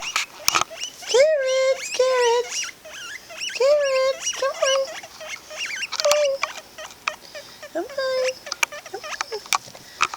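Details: Two pet guinea pigs, Jen and Lo, wheeking late at night at snack time: loud whistled squeals, each a rising then steady tone with bright overtones, repeated in bursts every second or two, with rustling and patter between.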